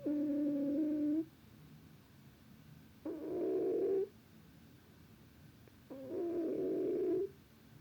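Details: Snores from a sleeping cat: three buzzy, rasping tonal breaths lasting about one second each, repeating roughly every three seconds against a quiet background.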